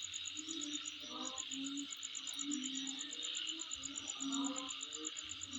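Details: Continuous high insect buzz at home, punctuated by quick, regular piercing clicks, one brief break near the middle, and intermittent lower murmuring tones underneath.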